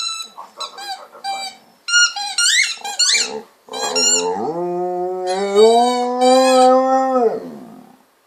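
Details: A Golden Retriever playing with a ball gives a run of brief, high, squeaky whines, then a long, steady, low howl that swells and holds for several seconds, much like a cow's moo.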